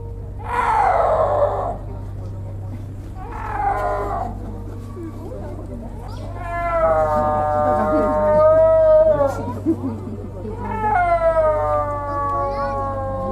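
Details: Snow leopard, which cannot roar and has a cat-like voice, giving drawn-out yowling calls: two short harsh bursts, then long wavering moaning yowls with strong harmonics, the last gently falling; a steady low hum runs underneath.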